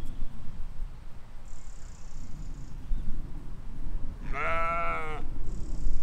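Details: A single shaky, nasal bleat near the end rises out of steady low background noise as sheep and lambs graze a spring field in 2020; faint high tones drift in behind.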